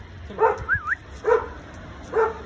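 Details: An American Akita, described as a dangerous dog, in Gurgaon, gives three short, deep barks about nine-tenths of a second apart. A brief rising and falling whistled tone follows the first bark, over low background hum and nearby Hindi speech.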